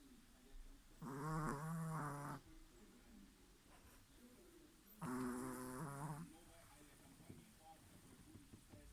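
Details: Chihuahua asleep and snoring; two long, buzzy, rattling snores, each lasting about a second, about four seconds apart, with soft breathing and faint shuffling noises between them.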